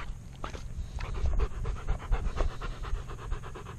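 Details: Alaskan Malamute with a GoPro camera strapped to its chest, panting hard and fast right at the microphone: a steady run of breathy, rhythmic puffs several per second over a low rumble of movement and handling noise.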